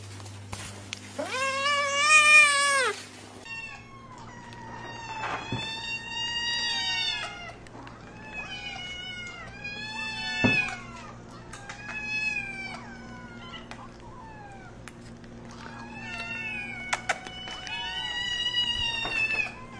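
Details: Incessant cat meowing: one loud, high, wavering meow followed by a string of softer, shorter meows repeated about every second, with a faint steady hum underneath.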